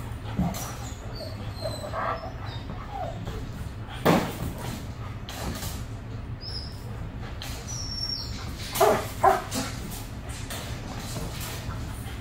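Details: German Shepherd named Bailey with aggression issues, extremely reactive to other dogs, squirrels, cats, birds and vehicles, at the start of a two-week boarding training; a single sharp bark near four seconds, then two quick barks close together near nine seconds, over a steady low hum.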